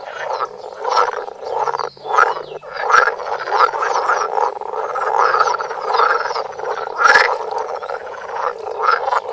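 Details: Close-up recording of frogs croaking, made with a Samsung Galaxy Note; rough, grating croaks overlap into a steady chorus, swelling and dipping every second or so, with a few sharper clicks standing out.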